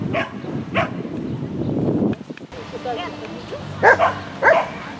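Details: Shetland Sheepdog Lesya on an agility course at the Spring 2016 event, 22 May 2016; talk and crowd bustle in the first half, then two sharp, short barks near the end over a steady low hum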